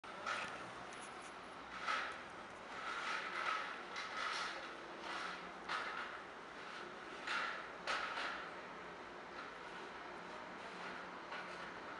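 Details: Quiet background hiss broken by repeated sharp clanks and rattles, like metal or doors being handled, with no animal calls.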